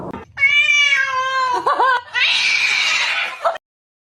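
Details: Domestic cat giving a long, drawn-out meow with clear stacked harmonics, holding steady and then wavering and dipping near the end. It breaks into a harsher, breathy, noisy wail before stopping abruptly in a quiet indoor space.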